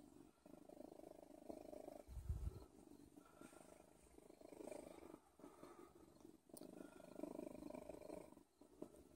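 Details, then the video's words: A cat called Odin purrs in a continuous low buzz, rising and falling in breath-length waves, with a heavy thud around two seconds in and faint clicks near the end. "Odin purrs"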